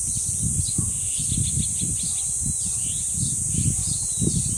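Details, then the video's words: Steady high cicada buzz heard at Deoksan village's dangsan, mixed with strong gusting wind and several birds giving brief chirps and slurred whistles. "매미소리와 바람소리 그리고 새소리"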